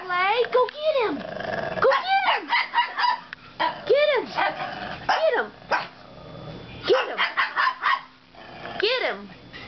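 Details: Play barking between Gabby and Winky, a foster dog and its housemate, playing for the first time: rapid, arching yelping barks in dense clusters, some with growly edges, while a person repeatedly cheers "get him" and "get it".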